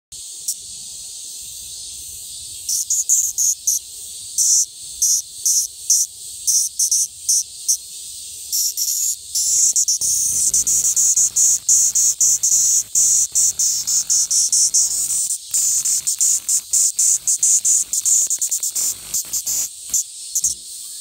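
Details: Platypleura kaempferi cicada in Japan, a loud high rasping buzz broken into rapid stuttering pulses, swelling into a near-continuous drone midway, then chopping again into short bursts.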